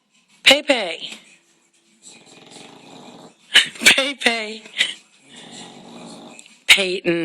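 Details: Bulldog Peyton, a female, snoring in deep sleep: two long, raspy, buzzing snores roughly three seconds apart, with a person loudly calling her name and urging her to wake up between them.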